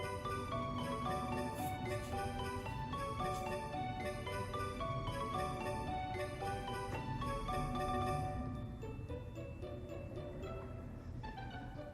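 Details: Soft marimba and glockenspiel music plays over a low hum, and no animal is heard.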